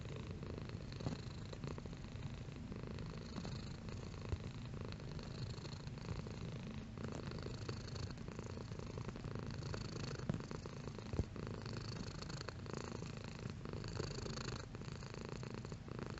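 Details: Domestic cat purring steadily, a low continuous rumble with fine rapid pulsing, its intensity shifting slightly over the stretch, with soft breathy texture above and no other sounds.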